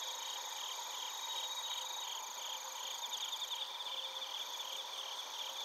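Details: Bell crickets and crickets calling in Narita, Chiba Prefecture, Japan: layered high-pitched ringing trills with irregular pulsed chirps overlapping in a thick nocturnal-sounding insect chorus.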